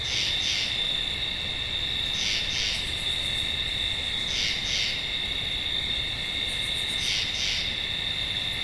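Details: Tree frog giving doubled high rasping notes about every two to two and a half seconds, set against a constant shrill chorus and faint higher pulsed buzzes.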